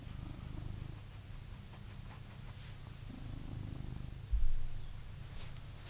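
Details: Blue British Shorthair cat living in a home in England, purring with a steady, low rumbling drone that pulses evenly throughout, interrupted by a brief soft thump midway.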